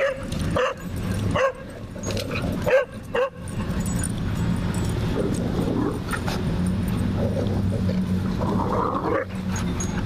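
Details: German Shepherd puppy wrestling and playing in a dog park in St. Louis; short yips and barks in the first few seconds amid scuffling, then a man's voice praising the dog over steady low background rumble.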